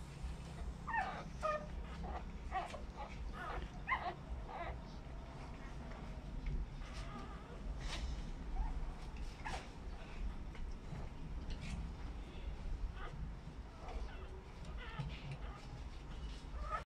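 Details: American Bully mother, overprotective of her newborn puppies: short, high whimpering and yipping notes cluster through the first four seconds, then come sparser and fainter over a steady low rumble, with possible human voice in the background.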